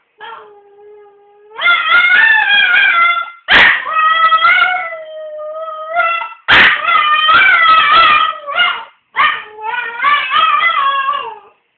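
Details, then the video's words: Poppy, a pet dog, howls at home when the phone rings. Long, wavering, tonal howls rise and fall in several drawn-out bouts, broken by two sharp knocks. A faint steady tone comes before the first howl. "Howling when the phone rings"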